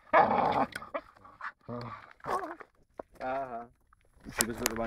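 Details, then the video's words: Four-year-old female American Staffordshire Terrier making odd noises; a series of short moaning, grumbling and yowling vocal bursts with wavering pitch, separated by brief pauses, with a sharp noise near the end. "amstaff makes crazy noises"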